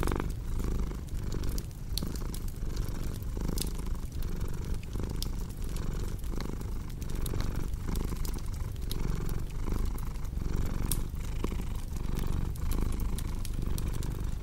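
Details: Domestic cat purring for relaxation and sleep: a steady low rumble swelling and dipping with each breath, under frequent sharp pops and snaps from a crackling fireplace.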